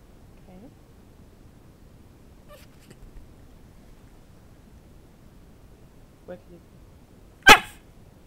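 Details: Bowzer, a pet dog learning to bark on cue when a piece of chicken is held above him, gives a faint brief whine early on, then one sharp, loud bark near the end, with a person talking to him beforehand.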